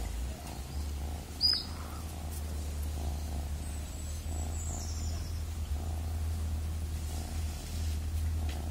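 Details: Cat purring in an even, deep, continuous drone, with one brief bird chirp early on and otherwise quiet surroundings.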